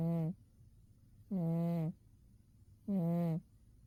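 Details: Umi the cat, deeply asleep in winter, snoring in short tonal, humming breaths about every one and a half seconds. Three even, droning pulses with near silence between them.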